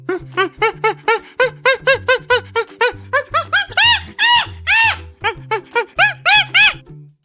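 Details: Chimpanzee voice: a string of breathy hoots rising steadily in pitch and loudness, building to loud shrieking screams near the middle, then easing back into quicker hoots, with soft background music underneath.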